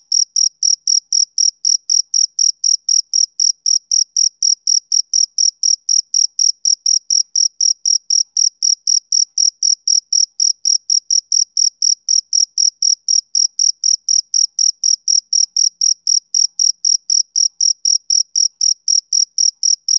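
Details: Rhythmic chirping of a male cricket on a summer evening, sharp high-pitched pulses repeating roughly four times a second in a constant, even beat against silence.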